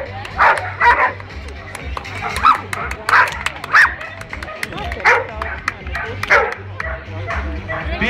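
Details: Dogs barking at a dog competition in Riga, Latvia: short, sharp barks repeated roughly every second with pauses between, over a Latvian announcer's speech, low background music and applause.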